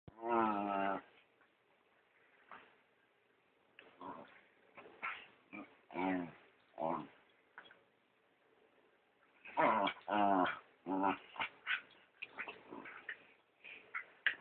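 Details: Dachshund-chihuahua mix pestering another dog in play, recorded on a phone: harsh pig-like snorting grunts in short bursts, clustered irregularly with quiet gaps between.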